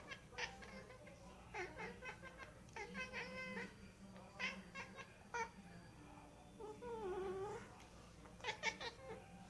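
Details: Cat producing odd vocalizations: brief chirpy meows in clustered bursts, then a longer wavering, slightly falling cry near the end, with a constant low hum beneath.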